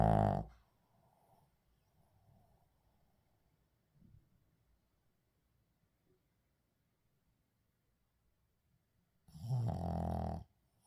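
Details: Shih Tzu named 의중 asleep indoors, snoring: one loud rasping snore at the start and another near the tenth second, separated by long quiet stretches of faint breathing.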